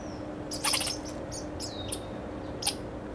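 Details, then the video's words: American red squirrel scolding at Grand Forks, North Dakota, on 1 July 2009: sharp, high chattering bursts and squeaky calls in short clusters, with a steady low hum underneath. "Red Squirrel (Sciuridae: Tamiasciurus hudsonicus) Scolding"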